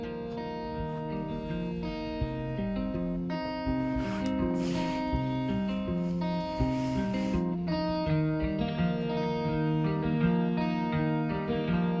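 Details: Plucked guitar music plays throughout in shifting chords, with no animal voice.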